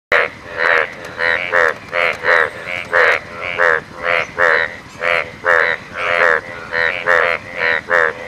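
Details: An Indian bullfrog (Hoplobatrachus tigerinus) in the Western Ghats gives loud, nasal croaks repeated in a steady series, about two each second.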